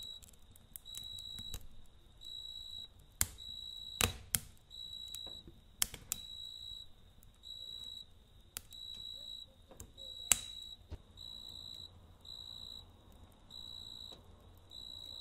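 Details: Cricket singing through the night near a campfire: regular high-pitched trilled bursts about a second long, alternating with short gaps, punctuated by loud pops and snaps of burning wood.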